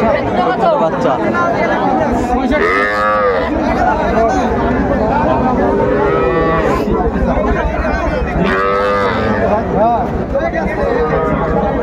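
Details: Young cattle, small bulls and heifer calves, at a busy livestock market in Manikganj, Bangladesh, on 1 September 2024. Several deep, drawn-out moos rise and fall, around three seconds, six seconds and nine seconds in, over constant crowd chatter and bargaining voices.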